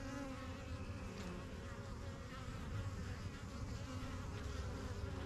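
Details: Honey bees swarming in and out of a new yellow hive in a backyard, spring 2023 beekeeping start; thick, unbroken low buzzing hum from countless wings, close and loud.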